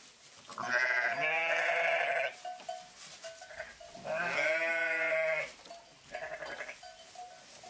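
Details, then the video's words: Sheep voice with two long, wavering, throaty bleats a few seconds apart, each trailed by a shorter softer bleat, while a faint bell-like tone repeats in the quieter gaps. "Pure Sheep Voice"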